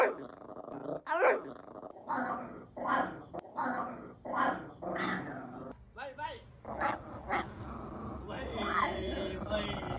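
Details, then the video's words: A pet Bichon Frise making strange sounds: a run of short, nasal grumbling moans, repeated roughly every second, one rising whine near the start, and a person speaking toward the end. "왈왈 강아지의 이상한 소리 모음집"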